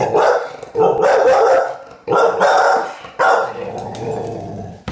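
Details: Eight-month-old female American Bully with poor eyesight, indoors by a dining table, frightened by a plastic skull: four long, rough, harsh growling barks in quick succession, each lasting about a second, with short gaps between.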